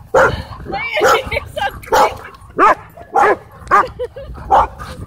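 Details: Playing dogs at a dog park bark repeatedly, roughly twice a second, with higher yelping notes mixed in over low background noise.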